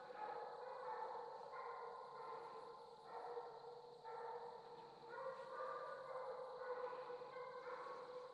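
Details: Young Redbone Coonhounds, male Hades and female Copeland's Redhot Maple, baying together while coon hunting; long mournful bawls come in repeated bursts of about a second each, several dogs overlapping in a continuous chorus.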